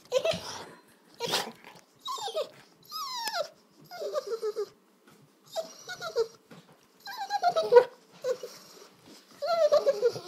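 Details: Pet dog's funny dinner-time noises in a small room: bursts of whiny, squeaky moans with falling and wavering tones, separated by brief pauses, plus huffing breaths and growly grumbles.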